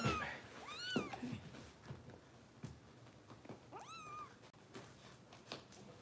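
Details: Foster kitten Harper being bottle-fed indoors at a Los Angeles kitten rescue gives two high, arching meows, rising then falling, about three seconds apart, with soft rustling and handling noise between them.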